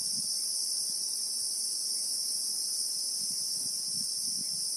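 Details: Christmas beetles (Anoplognathus) singing in the South African bushveld, real-time sound: an intense continuous high-pitched hiss in stacked bands, over faint low rustling pulses scattered through the clip.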